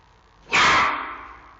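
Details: Giant panda cub Xiao Qi Ji at the Smithsonian National Zoo in Washington D.C., barking at his mother Mei Xiang; one loud, harsh bark with a sudden onset, broad and noisy, fading over about half a second.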